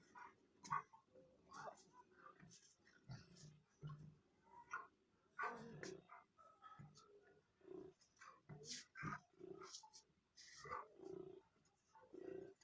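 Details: A Rottweiler gives play growls while playing with its owner: short, rough grunting growls and snorts in quick bursts, with a person talking.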